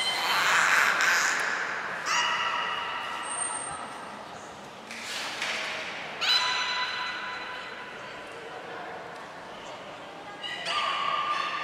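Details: Several belugas call during a training session at Port of Nagoya Public Aquarium, 2 April 2023: harmonic squeals and level tones come in irregular bursts, broken by a loud breathy blow and a short high whistle.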